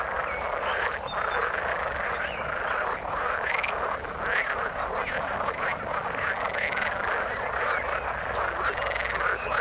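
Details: Frogs croaking together in the water, a crowded, restless chorus of short rasping notes and scattered brief upward calls, steady throughout with no pauses.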